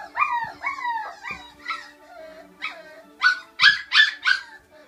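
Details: A litter of five-week-old puppies, sisters and two of their brothers, giving short falling whiny howls, several in a row, then lower soft moans and a final burst of three louder, higher yelping howls, with a faint steady hum.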